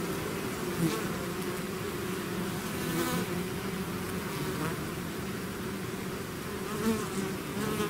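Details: A swarm of bees leaving its hive gives a constant, low droning buzz, with short louder flybys of individual bees early and late.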